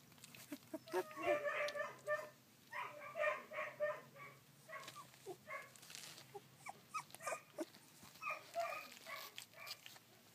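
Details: Collie puppies at sixteen days of age, 3 June 2013: dense series of thin, pulsing squeals and whimpers, repeated in quick trains, with a low steady hum and occasional clatter behind.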